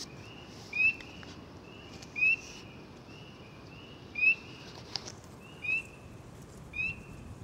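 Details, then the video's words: Quieter stretch from a close-up frog calling in water, its calls making ripples; spaced, short bright chirps rising in pitch, with a few soft clicks and light background hiss. "Frog close-up ASMR"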